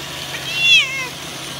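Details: Bengal cat Ranmaru meows once, a loud brief call that swells and drops in pitch, while watching a robot vacuum cleaner indoors; faint steady machine hum underneath.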